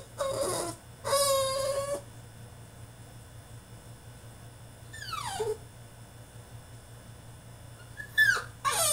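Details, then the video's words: Caged French Bulldog in a tantrum, giving a long, wavering whine and then long quiet gaps broken by sharp falling yelps and squeaks, over a constant low electrical hum. "FRENCH BULLDOG THROWS TANTRUM IN HIS CAGE!!"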